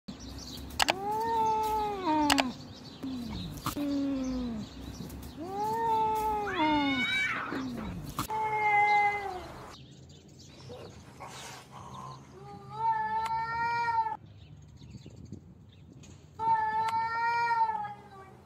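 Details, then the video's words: Domestic cats in a fight, giving long, drawn-out yowls that swell and waver in pitch and repeat every few seconds. Quieter gaps with scuffling noise fall between them, and a final pair of sustained caterwauls comes near the end. "Cat fight compilations"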